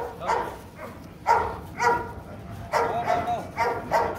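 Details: Rottweilers Bruno, a Latvian young champion, and his 7-month-old son Igor meeting for the first time at a kennel; five or six sharp mid-pitched barks in quick bursts, spaced about half a second apart, with a little human voice.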